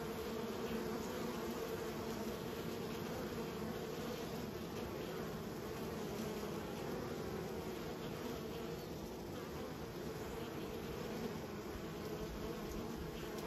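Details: Many honey bees raised by a keeper, producing an even, unbroken buzzing drone with banded low tones, steady level throughout and no other distinct sounds.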